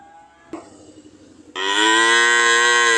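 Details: After a quiet stretch with a single knock, a cow breaks into a loud, sustained moo that carries steadily on to the end.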